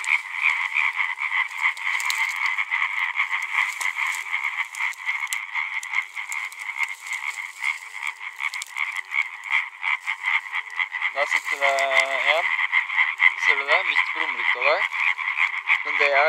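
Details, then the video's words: Calling males of European tree frog in a dense chorus of rapid, rasping, pulsed croaks, about four per second, overlapping into a continuous buzzing din; people talk quietly near the end. "Caling males of Hyla arborea"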